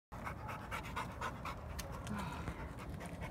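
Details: Dog panting right after running around, quick breathy bursts repeating about four times a second, steady and rhythmic throughout, with a person talking softly in the background.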